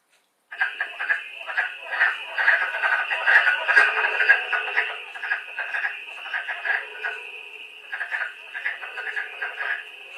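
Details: Wood frogs in chorus on Long Island, a dense clucking chatter of short quacking notes that sounds like a bunch of ducks quarreling or talking.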